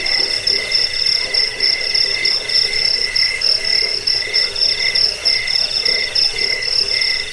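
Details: Crickets chirping continuously, sound used for scaring rats, bedtime listening and teaching songbirds; piercing high trills alternate with slightly lower ringing phrases, bursts arriving roughly once a second, dense and unbroken throughout.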